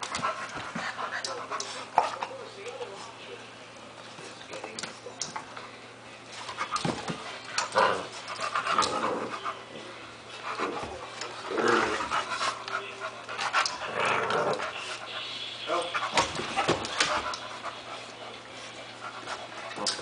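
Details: Two pit bulls, Hanna aged one year and Jah, a seven-week-old blue pit, playing together: bursts of breathy panting and scuffling, with human speech in the background.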